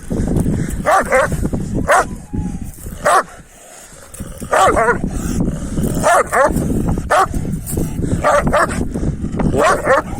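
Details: Kangal dogs, males pursuing a female, bark in short harsh bursts at irregular intervals, roughly ten barks over ten seconds. A steady low rumble of background noise runs underneath, with some human voices.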